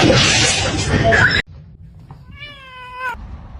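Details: Domestic cat giving a single drawn-out tonal meow, steady then falling slightly at the end, after a burst of loud rustling noise.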